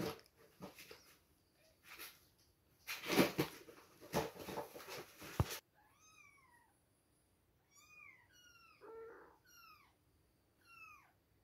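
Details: Baby kittens two weeks old at milk time: after loud rustling and handling noise, a string of clear, thin mews follows, each a short arched cry sliding downward, coming in little bursts about once a second.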